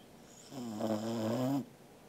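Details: One snore from Angela, a sleeping Welsh Corgi, on 13 August 2021: a rough, droning breath just over a second long with a slight upward bend at its close. Silence comes before and after.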